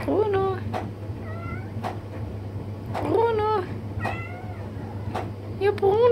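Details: Curious black kitten pestering an adult cat indoors: about five short meows over six seconds, each rising then falling, some thin and high, interspersed with sharp knocking clicks over a steady low hum.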